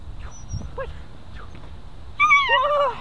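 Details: German Shepherd puppy, a ten-week-old female taking a full grip in protection training, makes faint soft yelps, then a long wavering high whine that slides downward at the end, amid a man's excited praise.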